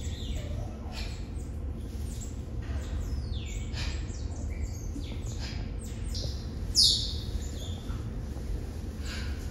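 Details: Six Asian small-clawed otter pups, two male and four female, born November 18, 2021 at Brookfield Zoo, kept behind the scenes with parents Pearl and Adhi; overlapping high, thin squeals sweeping downward, one sharper shriek near the end, over low hum.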